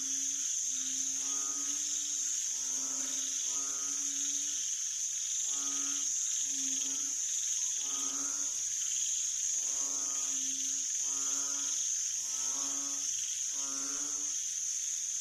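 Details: A chorus of banded bullfrogs on 18 September 2023, giving deep, resonant, droning notes in short bursts roughly every second, sometimes in pairs, beneath a constant shrill insect hum.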